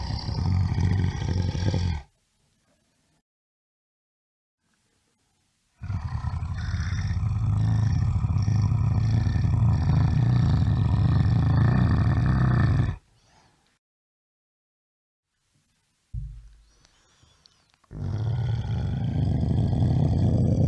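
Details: A brown bear gives deep, rumbling growls in long bursts separated by silent pauses.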